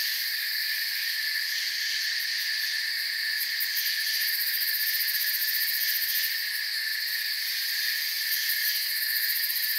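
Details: Unbroken cricket chorus from a forest ambience: layered high trills blending into a steady buzzing sheet, faint bursts of fast pulses near the top now and then, otherwise even and free of other noises.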